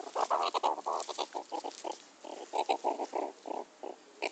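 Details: Pet meerkat (Suricata suricatta), being teased during play, gives rapid, harsh, grunting chattering calls in short bursts, about three each second.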